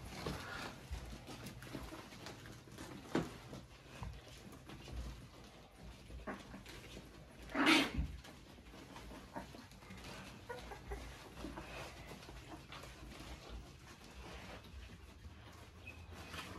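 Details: XL American Bully named Rock, indoors in a small room, meeting his puppies for the first time on his birthday: soft scattered whimpers and panting over a low steady hum, with one short loud broadband burst midway.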